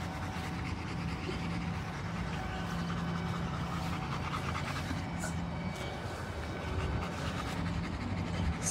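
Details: Working-line German Shepherd panting steadily and rapidly throughout, a continuous breathy rasp with fine rhythmic pulsing and a low hum underneath; a person repeatedly says stay and no nearby.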